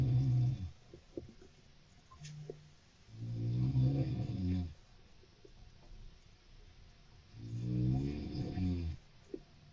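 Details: Gentle nighttime snores credited to Mochi, a female golden hamster pet: deep, throaty rumbling breaths in two main swells several seconds apart, with soft scattered clicks and a brief low hum in the quiet gaps.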